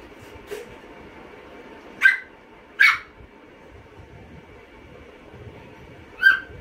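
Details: Chihuahua named Tia barking while trying to snatch a potato finger from another dog, Tomy, indoors; three short sharp high barks spaced about a second apart, then a fourth after a pause, over a steady low hum.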